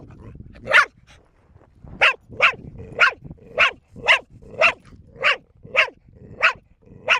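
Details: Female pet dog Bear, aged four, keeps up a nonstop run of barking: one bark, a pause of over a second, then about ten crisp barks at a steady half-second rhythm.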